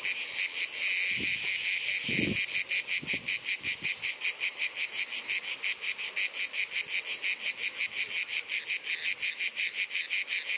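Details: Grey cicada of Provence: a continuous loud hiss for over two seconds breaks into rapid, regular buzzy pulses at about five per second. Some soft low knocks sound near the start.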